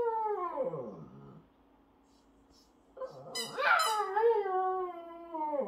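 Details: Shih Tzu puppy howling along with a baby who conducts its singing indoors; long wavering howls slide downward, pause, then a brief high squeal and another drawn-out falling howl.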